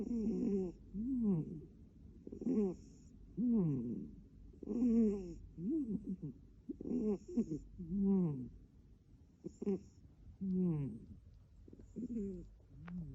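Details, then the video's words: Blue, an adopted British cat kept as a pet indoors, snoring: rhythmic wheezy, harmonic breaths that rise and fall, about ten in a row, each a second or so apart, with faint thin high tones between them. "ADORABLE CATS SNORING"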